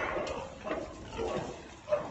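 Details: Belgian Pietrain pig giving a few short, rough grunts, spaced roughly half a second apart, with a sharper, louder grunt near the end over a faint low background hum.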